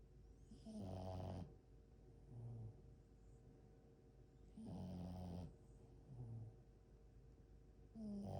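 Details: Sleeping French Bulldog snoring loudly: deep, rough, buzzy inhaled snores about every three and a half seconds, each followed by a softer, lower snorting exhale, with a steady faint hum in the background.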